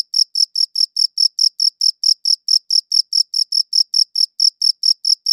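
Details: Cricket chirping captured on a good audio recorder, short shrill pulses at a brisk, even pace of roughly two or three per second, with nothing else audible behind them.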